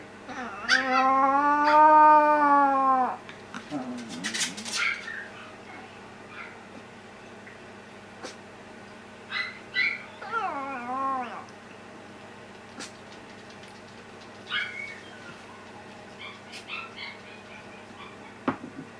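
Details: An elder sister dog replying with a howl to the younger dog's crying: one sustained, slightly arching howl of roughly two and a half seconds, then faint wavering whimpers and scattered soft noises in a quiet room.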